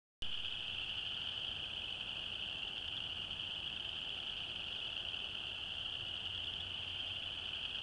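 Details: Chorus frogs calling in Alabama on 22 January 2012, many voices merging into a dense, unbroken high-pitched trilling drone that holds steady throughout, with no pauses or other clear sounds.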